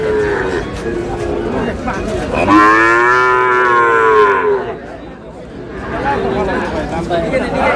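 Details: Sahiwal bull calf at a cattle market, Dhaka, 16 March: a long, loud, falling moo lasting about two seconds, rich and harmonic, with softer lowing and crowd chatter before and after.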